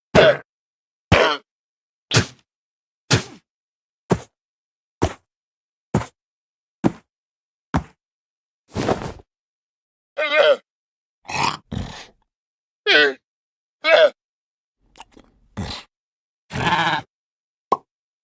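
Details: Llama (Lama glama), call.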